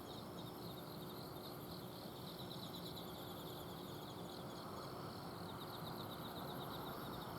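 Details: Night chorus of autumn insects in a garden in Azumino, Japan, with quick repeated high-pitched pulses from several insects layered together over a constant droning hum from an air-conditioner outdoor unit.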